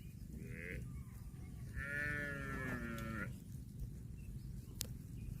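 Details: Cow lowing: a brief low call, then a longer moo of about a second and a half with a bright upper overtone, followed by quiet farmyard background and a sharp click.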